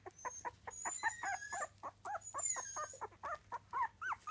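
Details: Miniature Dachshund puppies aged three weeks give a quick patter of short, high squeaks and rising whines, with a faint thin whistle-like tone above them.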